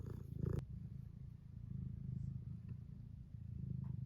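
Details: Tuxedo cat wanting to be petted, purring steadily indoors: a low rumbling purr in long breaths of about two seconds each, with a brief louder sound at the very start.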